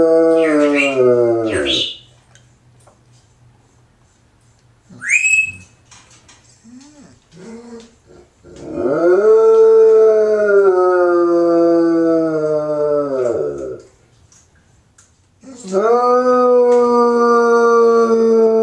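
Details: Left alone by its owner, a pet Bloodhound howls: a falling wail, then quiet whimpers and short yelps, followed by a long sustained howl of about five seconds and another starting near the end.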